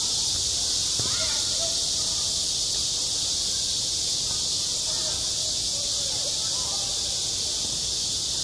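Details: Cicadas singing in high summer on a school playground: a dense, unbroken, hissing buzz holds steady throughout, with faint distant voices drifting underneath.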